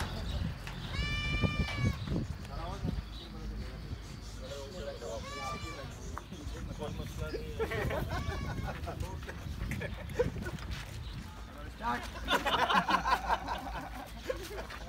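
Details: Kids playing outside a goat farm in Karachi, Pakistan, at Bakra Eid; two or three quavering bleats early on, then people talking over steady low crowd and traffic noise.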